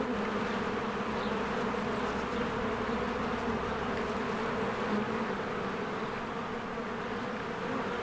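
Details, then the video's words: A mass of honeybees flying around a hive in spring, working diligently: unbroken low buzzing drone, layered wingbeat hum holding steady for eight seconds with small swells in loudness and no other clear sound. "1 Hour of a Beehive ASMR"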